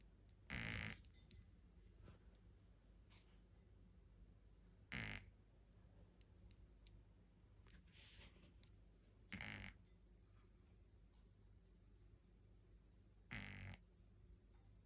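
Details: A 10-week-old Shih Tzu puppy snores with a rough, snorting rasp that comes roughly every four seconds.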